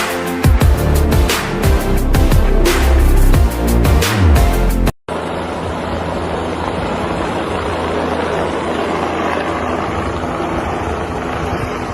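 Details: Pounding electronic music cuts off abruptly, followed by a steady rumbling engine or vehicle noise, with no animal sound heard.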